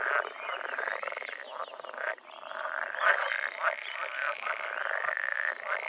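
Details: Pool frogs, Pelophylax lessonae, calling in the breeding season; a dense chorus of overlapping rattling, nasal croaks that run almost continuously with brief pauses.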